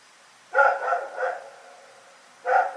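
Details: Rex, a dog, barks at night in a quick run of three harmonic barks, then a pause of about a second before a fourth loud bark; faint steady hiss behind.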